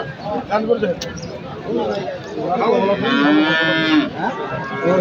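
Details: Sahiwal bull calf at the Aricha cattle market in Bangladesh, lowing with a drawn-out moo with rising and falling harmonics, the longest near the end, amid loud chatter and bargaining voices of the crowd.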